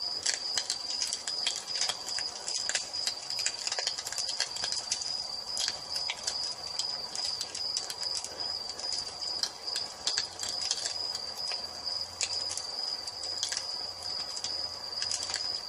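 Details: Crickets at nightfall sing a continuous piercing high trill beside a crackling fireplace. Dense small pops run throughout, with a faint low murmur in the second half.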